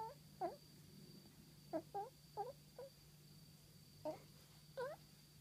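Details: Seiya the female house cat makes a run of about eight short, bright chirrups, each a quick bent trill rising then dipping, some paired, in loose clusters over a faint steady indoor hum.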